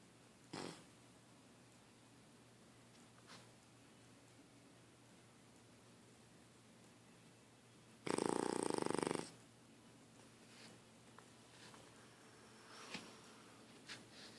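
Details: A dog asleep gives a single loud, buzzing snore about a second long partway through, surrounded by long stretches of near-silence with a few soft clicks and shifts.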